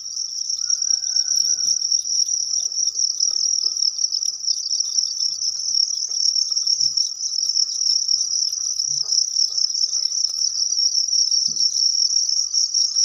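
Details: Egg-laying crickets kept for sale in Thailand: a dense, continuous high-pitched trill held steady throughout, with faint scattered clicks and rustles beneath.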